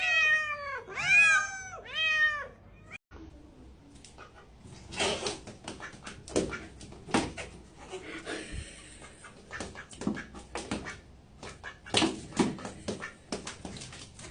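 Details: Domestic cat giving three quick arched, harmonic meows in the first three seconds, each rising then falling; afterwards only clattering knocks and rustling noise indoors.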